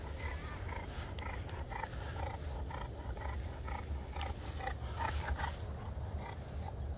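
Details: Two dogs at play, a French Bulldog and a French Mastiff: a rapid series of short, rough, growly grunting bursts, some louder and harsher near the end, over a steady low rumble of background noise.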